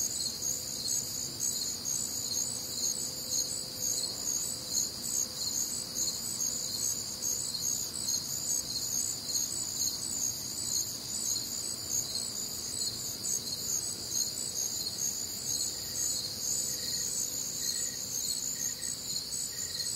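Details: Many crickets calling through a humid Midwestern summer night, their high, fast-pulsed trills layered into a continuous ringing wall of sound; near the end a softer, lower chirp repeats briefly at regular intervals.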